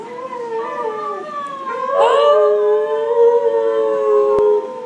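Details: Husky howling at a grooming salon: one long, steady, tonal howl held for several seconds, with a brief rising swell partway through, then settling back to an even pitch until it ends abruptly.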